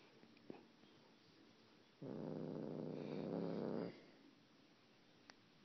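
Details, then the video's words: Domestic cat making a weird noise: a loud, rough, rapidly pulsing purr-like rumble lasting about two seconds, with quiet room sound and faint clicks before and after. "Weird cat noises"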